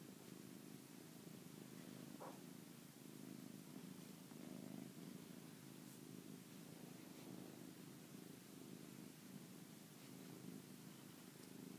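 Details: Pet cat three days before his death, January 17th, 2013, purring close by: continuous low vibrating rumble that swells and eases with each breath, a brief faint click near the middle, otherwise quiet indoor background.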